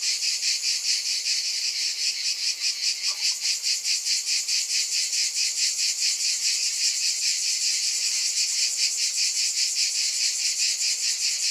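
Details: Cicada chorus: an unbroken, high, hissing buzz beating in even throbs roughly every half second, with a brief faint click near the start.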